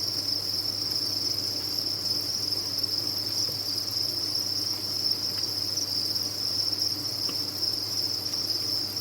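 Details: Crowded captive crickets on a cricket farm give a relentless high, shrill chirring, individual chirps lost in one smooth steady drone, accompanied by a light low hum.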